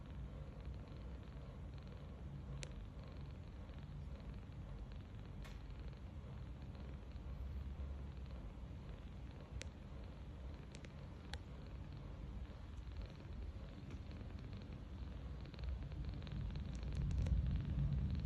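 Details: Tange, a 39-day-old rescued kitten, dozes on its back on a bed. Gentle low snoring hums along in quick even pulses, growing a little louder toward the end, with scattered faint clicks.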